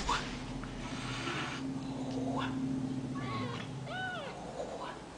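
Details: Ragdoll kittens raised indoors without cages in central Kansas: a few short, thin mews with a rise and fall near the end, over a steady low indoor hum.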